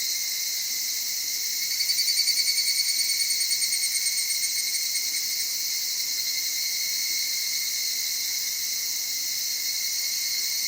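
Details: Soft, sorrowful dusk song of the evening cicada in the mountain cedar forests of Okutama, Tokyo: a quick run of rhythmic pulses early on, loudest near two seconds, then an even high-pitched shimmering chorus.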